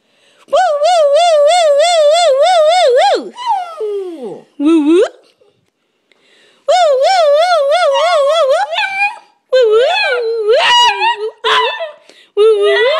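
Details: Charlie, a pet dog indoors, vocalizing while having a talk with his owner: long, wavering, warbling howl-like tones in several bursts of about two to three seconds, with short pauses between them and sliding, yodelling pitch at the ends.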